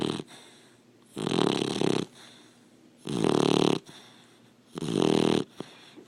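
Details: Sleeping Labrador Retriever puppy snoring indoors: three loud, rasping breaths about a second long, each with a broad rough buzz, separated by quiet pauses of roughly two seconds.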